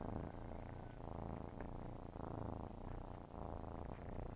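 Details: Kittens nursing and purring, a thick low rumble in rhythmic pulses about every half second to second, with faint clicking suckling noises.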